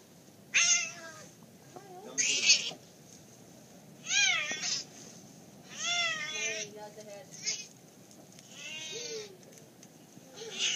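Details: Cat confronting a boa constrictor, giving a series of loud, drawn-out, wavering meows with rising and falling pitch, roughly every one to two seconds, over a faint steady background hiss.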